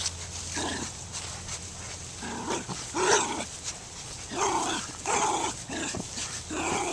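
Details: Dogs barking in spaced, uneven bursts with bright harmonic tones and some higher yelping notes over a constant low hum.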